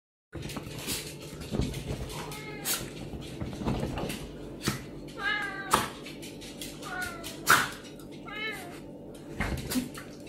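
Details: Serval squaring off with a pinscher, giving short, rising-then-falling mewing calls every second or so, with thumps, scuffles and knocking sounds throughout.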